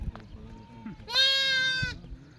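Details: Sheep kept by a herder in Telangana, India, part of a flock of 66 breeding ewes with 22 lambs; one loud, steady, nasal bleat lasting nearly a second, with faint human voices and rustling before it.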